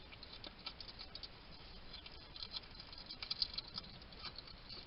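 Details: A wild male hedgehog at a garden feeding station in Somerset, UK, caught on a trail camera while eating and chattering to himself: soft, quick smacking clicks and ticks in uneven bursts over a low hiss.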